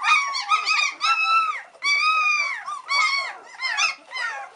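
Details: White Swiss Shepherd pups aged three weeks whine while waiting for their mother Cova to return for a feed; long, drawn-out arching cries, some nearly a second long, alternate with shorter whimpers from several puppies.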